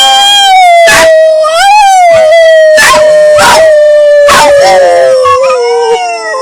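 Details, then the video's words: Pet puppies howling together with a person for fun: a long steady howled tone that slowly wavers and sinks in pitch, broken by about five short sharp yelping bursts over six seconds. "Howling with my dogs"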